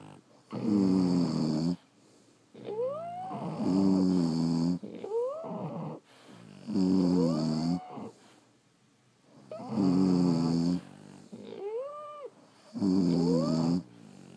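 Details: Sleeping French Bulldogs snore in heavy, rough breaths roughly three seconds apart, several exhalations ending in a high nasal whistle that slides up then down.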